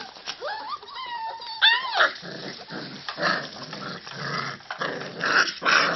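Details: Five-week-old puppies from a litter playing together indoors: thin high whines sliding up and down open the clip, followed by rough, rapid growling bursts and scuffling, with short snarls repeated about every half second.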